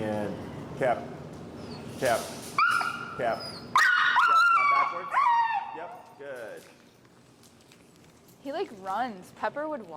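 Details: Finn, an extremely vocal pet dog in recall training with an e-collar at a Chicago dog-training session, gives high, drawn-out whining whimpers with sliding, wavering pitch over several seconds, followed by a trainer's voice and short yips.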